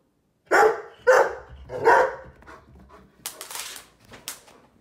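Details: Mr. Panda, a Sheepadoodle kept as a guard dog, gives three loud, deep barks in quick succession as a watchdog alert.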